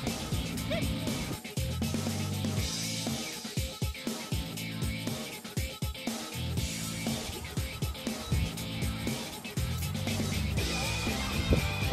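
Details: Upbeat music with a steady beat plays throughout, with some speech mixed in and no animal calls.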